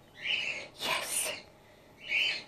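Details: Young female grey-headed flying-fox Gwickle, in care on her second day, utters two shrill squeaky chirps separated by a brief rustling, breathy burst of noise.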